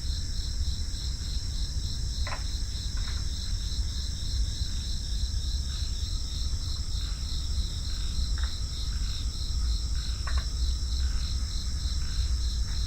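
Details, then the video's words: A constant cricket chorus with fast, shrill, pulsed trills in several high layers. Scattered brief clicks and chirps come at irregular moments over a continuous deep rumble. "FREE SOUND EFFECTS: Crickets"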